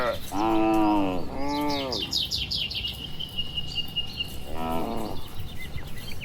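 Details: Tame, healthy cattle among dozens walking slowly home to their shed along a tree-lined village road on a warm late afternoon; two short arched moos close together, a third later, with birds chirping high in the background.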